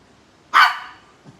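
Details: A terrier puppy that had wedged itself into a tight spot. It gives one sharp, high, abrupt bark that fades quickly, followed by a faint thump. The surroundings are otherwise quiet.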